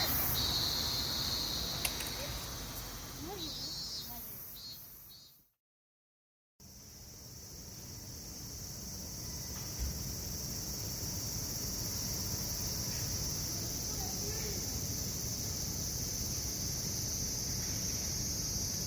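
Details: Summer cicadas in a busy town, standing out among street sounds: a steady, high, hissing drone runs through the whole stretch and breaks off briefly near the middle, over low traffic-like rumble and faint voices early on.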